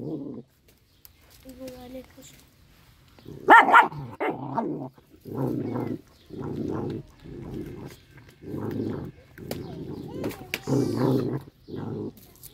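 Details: Little dog eating fish, giving a run of low rumbling growls in regular pulses about every second, with a brief human voice near the start.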